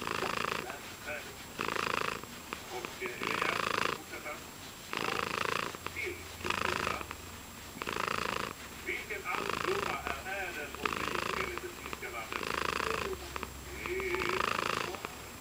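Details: Domestic cat purring happily, a continuous close rumble that swells and eases in regular cycles of about two seconds, in quiet indoor surroundings.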